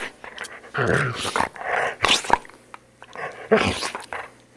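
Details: A poodle under grooming makes muffled, rasping snarls in three or four swells over a steady low hum.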